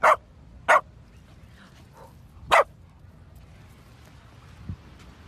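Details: Dachshund barking three times, short sharp barks with two close together and a third about two seconds later, then a quiet room.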